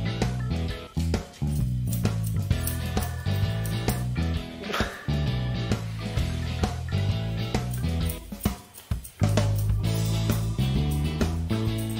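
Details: Plucked guitar music plays continuously, with a brief drop in volume near the end and no animal voice.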